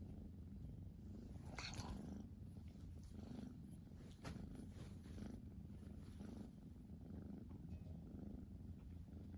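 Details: Purring Siamese cat named Rachel that bites while it purrs: a continuous low, pulsing rumble, with a short brighter rustling burst near the start and occasional soft clicks.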